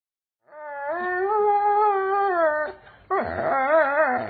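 A Doberman Pinscher gives a long, wavering howl, then a second rising and falling howl.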